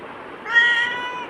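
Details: Black house cat answering its owner in conversation, the owner speaking Tamil. A single drawn-out meow of almost a second, even in pitch and then tapering off, in a quiet indoor setting.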